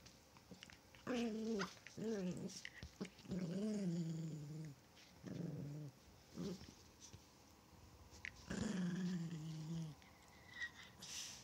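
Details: Playful Chihuahua growling in several long, rumbling harmonic bouts separated by brief pauses, with the pitch sliding slightly within each, and soft scuffing and tapping sounds between them.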